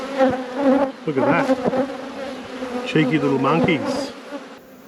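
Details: Honey bees humming around an opened hive in an apiary. Steady droning buzz with overtones runs beneath a person's voice heard in two short bursts.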